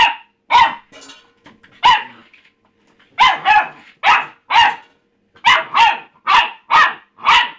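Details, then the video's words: Pup Rusty barking insistently at his empty food bowl, loud clipped barks coming in uneven bursts, speeding into a steady run of about a dozen barks toward the end. "rusty barking at his bowl"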